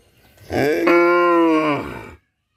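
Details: A cow at Rosulpur gives one long, loud moo, described as sounding like "amba", steady in pitch and richly harmonic, lasting under two seconds.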